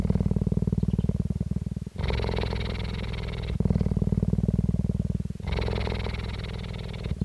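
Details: Purring of Jade, a captive female cheetah at the Dell Cheetah Centre, Parys, South Africa, 5 May 2019: continuous deep throbbing pulses, alternating every couple of seconds between a darker rumble and a harsher, breathier stretch.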